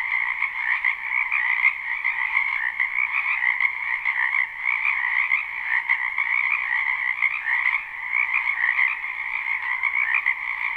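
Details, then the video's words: Spring wetland chorus of numerous frogs, live recording: unbroken buzzy croaking layered in a lower and a brighter band, the volume swelling and dipping slightly while the calling never stops. "Ambient Noise for Sleep Frogs"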